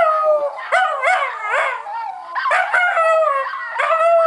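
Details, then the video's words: Howling pet Schnauzer named Max: quick rising-and-falling yodelling yelps bunched into bursts, with a steadier held tone near the end, several phrases in a few seconds. "Howling Schnauzer"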